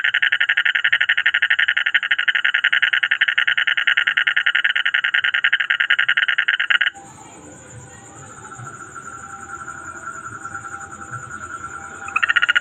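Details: Several frogs sitting nearby call in a loud, rapid, pulsing trill that suddenly drops to a quieter background.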